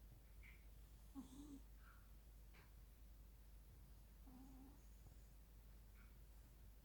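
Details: Persian Chinchilla cat, a female pet, asleep indoors in a living room, snoring softly: two low, droning, slightly buzzy breaths about three seconds apart in a quiet room.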